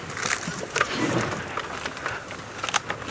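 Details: Outdoor background noise with faint speech and scattered crackles and thumps, but no animal sound.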